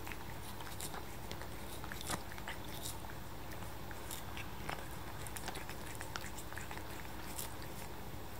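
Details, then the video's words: Kitten Luca, seven months old, works at a lick of paste with crisp wet clicks and smacking bursts, scattered irregularly through the stretch, set against a steady low-pitched hum. "Cat licking paste"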